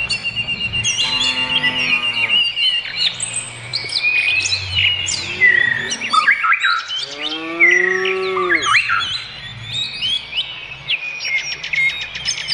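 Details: Cows on pasture, two long, drawn-out harmonic moos near the start and middle, each rising slightly then falling, over constant busy chirping and twittering of many songbirds.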